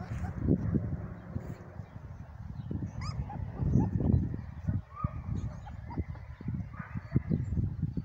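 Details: Three-week-old Dark Sable German Shepherd puppies giving brief high whimpers and thin rising yips, scattered among steady low thumping and rustling movement sounds, with a few louder squeaks near the middle.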